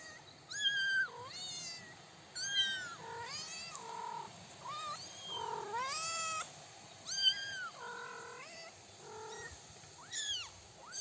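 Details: Three-week-old kittens beside their mother outdoors on daisy-dotted grass, first steps; frequent thin, high kitten meows, arched and bending pitch, often overlapping, from several callers throughout.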